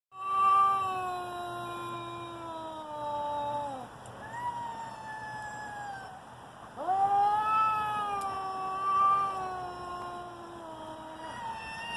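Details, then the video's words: Two domestic cats about to fight: long, wavering yowls with stacked harmonics, one drawn-out howl sliding downward for about four seconds, a brief pause, then a second rising, quavering wail that slowly falls away. "Two Cats Talking About Fighting"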